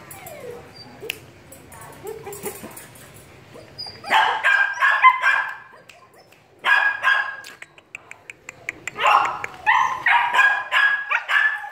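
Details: A 2.5-month-old female German Shepherd puppy gives bursts of high, sharp barks and yips after a few quiet seconds.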